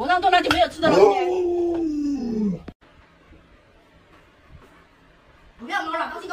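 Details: Lolo, a pet Alaskan Malamute, protests at home while its owner jokes about stewing a puppy: a sustained, moaning vocal that glides steadily lower for over two seconds, then quiet, then a brief voice returning.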